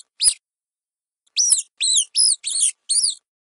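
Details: A single sharp mouse squeak, a short silence, then five quick high squeaks in a row, each arching down in pitch, with nothing else audible.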